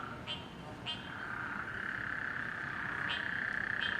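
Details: Frogs calling at night in a neighborhood on Gaeldom Lane, August 30 2017, displaced by flooding rain: a continuous buzzing trill swells and holds, with short sharp chirps popping up every half second or so.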